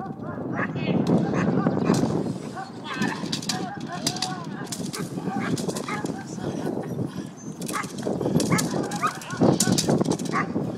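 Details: Haus, a Cane Corso, working at a three-day French Ring training seminar with Herve Mavuanga in Montreal; rapid, loud, rough barks in dense bursts run throughout, overlapped by human voices and outdoor background noise.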